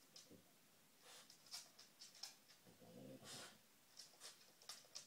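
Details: Female dog nosing around for treats, giving quick, airy sniffs in short bursts roughly twice a second, with a longer snuffling breath near the middle.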